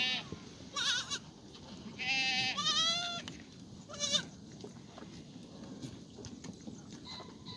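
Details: Black goats in an exercise yard on a farm in Gimhae, South Korea, on a clear Monday morning, 1 April 2019; a short bleat, then a longer shaky falling one and a brief final cry, with quiet rustling afterward.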